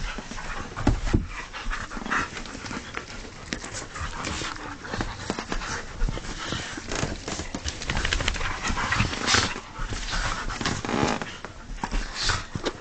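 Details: Husky breathing hard in rapid, noisy huffs that run steadily through the whole stretch. A few sharper scuffles rise above the rough panting, and no clear howl or bark is heard.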